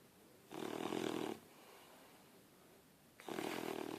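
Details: Harley, a sleeping puppy resting on someone, lets out two grating snores nearly a second long, about three seconds apart, each a coarse, buzzing breath over a quiet background.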